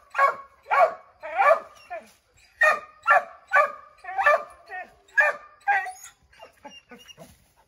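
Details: Redbone Coonhounds (Bo, Luke, Lulu, Cooter, Jesse) barking at a chipmunk in an oak tree; a steady series of loud, ringing barks, some doubled, with a few short bawls, fading into softer yips at the end.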